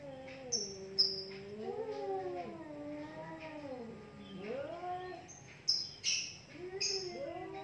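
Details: Two cats fight in a heated standoff, trading long wavering yowls that rise and fall, with sharp high bird chirps breaking in several times.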